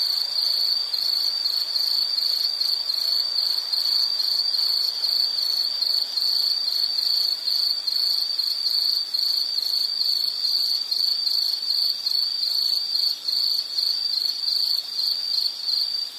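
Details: Insects trilling nonstop: a piercing, evenly pulsed high tone that never breaks, joined by fainter buzzy shimmer higher still, with quiet noise beneath.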